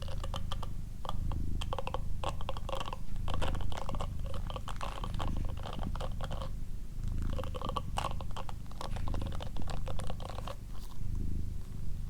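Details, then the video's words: Doroti, a female pet cat, purring in an ASMR recording: a steady low rumbling purr in rhythmic bursts of about one to two seconds, with soft clicking and crunchy mouth noises layered above. "ASMR Cat Purring & Whispering"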